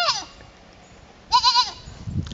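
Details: A single wavering goat bleat of under half a second after a quiet pause, from a goat trying to fit in with the herd, followed by soft rustling and a brief voice.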